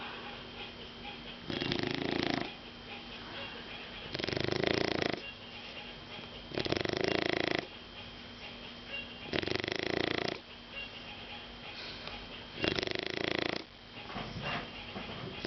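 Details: Sleeping Shar Pei pet called Caco snoring steadily: six loud, raspy rattling snores, each about a second long, repeating every two to three seconds, with softer breathing between them.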